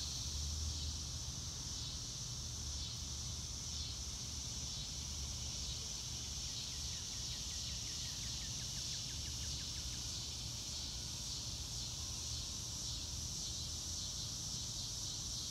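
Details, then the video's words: Crickets sounding in grassland under a clear sky, recorded live without music: an unbroken high, hissing trill, a brief cluster of faint rapid ticks near the middle, and a steady low rumble underneath. "Nature Sounds - Real Time - No Music - Meditation - Crickets"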